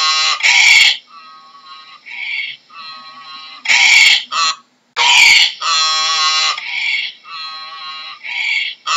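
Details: Donkey braying: loud, harsh, rasping blasts alternate with quieter, nasal, tonal wheezes in a see-saw hee-haw rhythm, repeated several times across the clip with brief gaps between phrases.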